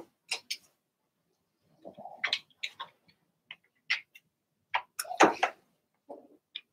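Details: Blenheim Cavalier King Charles Spaniel puppies from Remy's first litter of six, in an indoor puppy pen: scattered short, sharp high yips and squeaks in brief clusters separated by quiet gaps.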